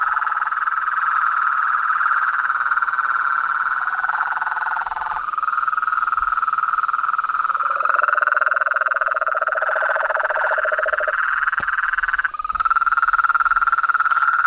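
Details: Nightfall frog chorus at a house pond in Brazil, toads, frogs and treefrogs together: continuous buzzy pulsed trills at several pitches, a lower grating trill entering midway, with brief faint clicks near the end.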